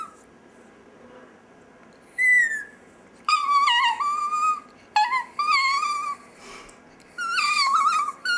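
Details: Dexter, a pet chihuahua, "singing" indoors: high, thin whistled wails that slide and waver, each lasting about a second, separated by short quiet gaps, rich in overtones.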